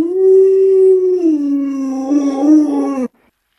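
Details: Howl from Luoluo, a household Alaskan Malamute: one loud sustained tone of about three seconds. It holds level, dips lower midway with a slight waver, then stops abruptly into silence.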